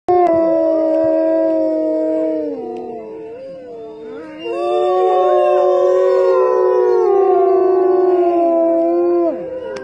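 Several wolves howl together, long smooth tones sliding up and down and overlapping in a chorus.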